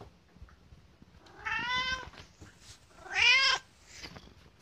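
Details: Pet cat Kotetsu demanding food hours early; two meows, the second louder and rising then falling, with light room noise between.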